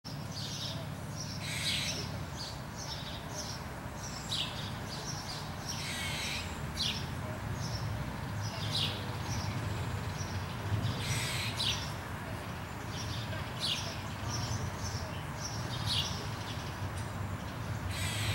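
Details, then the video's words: Squirrel barking: a steady series of short, harsh, broadband chucks, roughly one or two each second over the whole stretch, against a constant low rumble of background noise. "Squirrel Bark"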